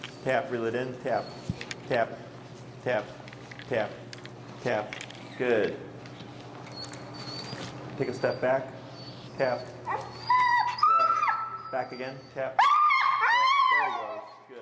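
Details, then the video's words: Finn, an extremely vocal dog in recall training with an e-collar in Chicago, gives high, wavering harmonic whines that rise and fall in the last seconds, after a stretch of a man talking steadily over a low hum. "Working An Extremely Vocal Dog"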